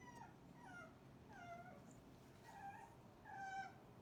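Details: Full, messy Cane Corso puppies from Didi's and Lexi's litters heaped together after breakfast, giving drawn-out whining whimpers that bend downward, about four calls in four seconds over a low constant hum.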